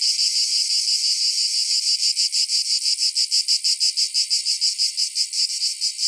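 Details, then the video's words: Cicada: a continuous piercing buzz that breaks into quicker throbbing pulses, roughly three per second, staying high and harsh throughout with nothing else audible. "Cicada Sounds - Cicada Sound Effect"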